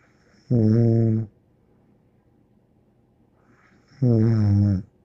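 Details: Two low, buzzing snores from Bear the dog, each under a second, spaced about three and a half seconds apart, with faint breathy exhales between them and otherwise quiet surroundings.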